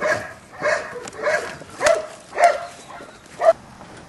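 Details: Young Belgian Malinois puppies, 7.5 weeks old, playing on a rubble pile; a series of six short yelping yips about every half second, the last ones sharper and louder, over a quiet background.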